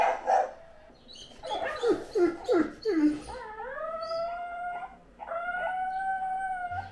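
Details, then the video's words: Great Dane named Anúbis howling and barking: a quick run of short, falling yelps, then two long, steady mid-pitched howls, each held for about two seconds with rich overtones, the second rising slightly in strength. "Por Anúbis Uma Historia de Uivos e Latidos! - Dogue Alemão"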